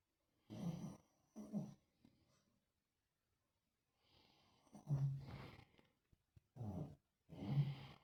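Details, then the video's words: Sleeping Lhasa Apso dog snoring, a breed said to snore a great deal: rough, low, rasping snores in short bursts, a pair of quick snorts, a long pause, then three more drawn-out breaths with a faint whistling edge, in a quiet room. "Lhasa Apso roncando"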